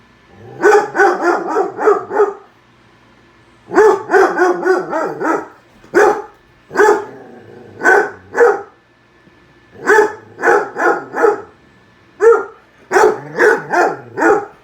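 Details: Dog barking at a microwave while a bowl of soup pops inside: bursts of three to six sharp, yappy barks in quick succession, separated by short pauses, continuing steadily through the whole stretch.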